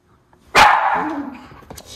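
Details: One of two white Miniature Schnauzer brothers, indoors in Aroostook County, Maine, December 21, 2021, during holiday decorating, gives a single loud, sharp bark that trails off quickly into a fading echo, with a faint click afterward.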